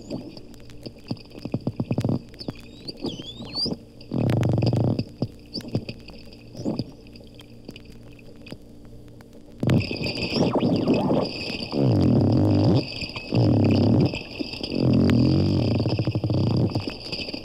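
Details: Two captive dolphins at the Lerner Marine Laboratory, Bimini, Bahamas, recorded underwater: rapid trains of sharp clicks, a few faint upswept whistles early on, then long dense bursts of creaking, door-like pulses separated by short pauses.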